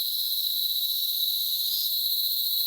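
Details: Cicada chorus from countryside trees in the Dominican Republic: an unbroken, piercing high whine that briefly swells louder near the middle before settling back to an even drone.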